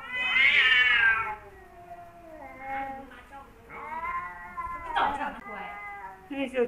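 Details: Kaopat and Ronja, a pair of male house cats and longtime rivals, caterwaul at each other. A loud bending howl opens, then a run of shorter warbling moans and growly yowls rises and falls in uneven bursts.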